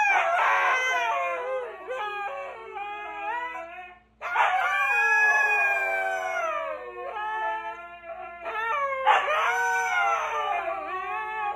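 Several Siberian huskies howl together in long, wavering, overlapping tones that rise and fall.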